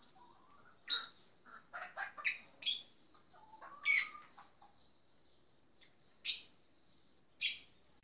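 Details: High, sharp chirps and short tsik notes from a black-tufted marmoset in a backyard, scattered singly and in small groups, interspersed with softer clicking sounds.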